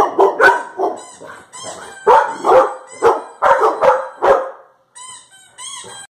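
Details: Labrador Retriever Josie barks at funny sounds from a video in a run of deep, gruff barks, followed by a few higher squeaky sounds; recorded October 3, 2019.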